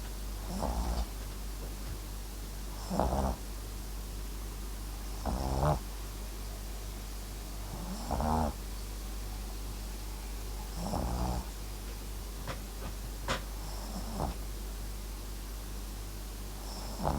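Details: A sleeping Papillon-Japanese Chin mix named Max snores indoors, short harmonic rasping snores repeating roughly every two to three seconds over a steady low hum.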